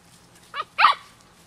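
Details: Twelve-week-old rescue puppies, beagle, terrier and cattle dog mixes: two short high yelps in quick succession, the second louder, against a quiet indoor hum.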